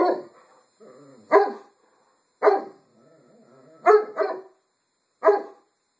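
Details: A Great Pyrenees gives deep, loud barks at irregular intervals, alerting to someone nearby, recorded 5 August 2012.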